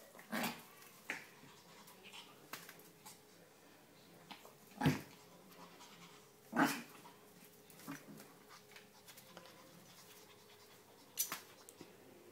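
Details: Whippet puppy Poppy at eight weeks playing with Honey, a six-year-old Maltese x Chihuahua indoors; soft panting and snuffling between a few louder thuds and brief yelp-like bursts, roughly every couple of seconds.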